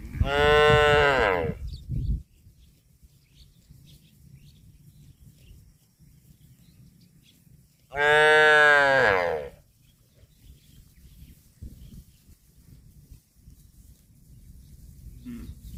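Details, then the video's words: Cows eating grass, giving two loud, long, harmonic-rich moos, each about one and a half seconds, roughly six seconds apart, with a low rumble and quiet background in between. "CUTE AND FUNNY COW SOUND EATING GRASS COMPILATION - COW MOOING- CON BO"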